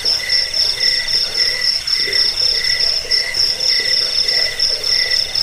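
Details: Cricket chirps used to drive off rats, lull listeners to sleep and tutor cage birds; a bright continuous high-pitched ringing overlaid with rhythmic chirp bursts about four per second, steady throughout with a faint hiss behind.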